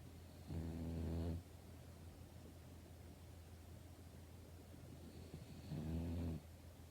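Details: A sleeping French Bulldog, recorded on Saturday night, April 26, 2025, snores in two long, rumbling, low-pitched breaths several seconds apart.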